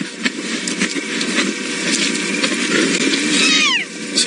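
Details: A spotted hyena whoops at night in the Mara in June 2017 as hyenas gather to harass lionesses off a zebra kill; the whoop sweeps downward near the end, half-buried in steady hissing noise.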